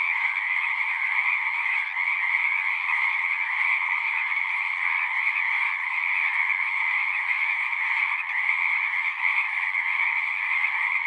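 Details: A continuous natural chorus of singing frogs: a thick, even wall of rapid trills in a middle band and a brighter, higher band, holding the same loudness throughout with no gaps.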